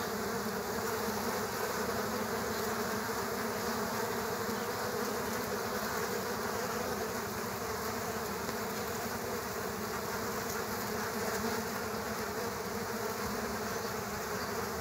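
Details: Several killer hornets fighting bees at an underground bee nest; a dense, steady, droning buzz of many wings, with low hum bands throughout and no pauses.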